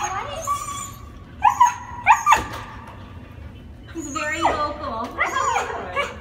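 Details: Husky dog being picked up after a plane flight, greeting with drawn-out whining howls and yips rising and falling, interspersed with people talking excitedly nearby.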